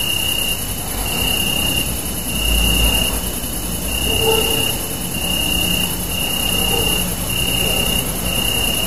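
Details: Crickets chirp steadily at night under a super moon, a high, unbroken shimmer of trilling over a faint low rumble.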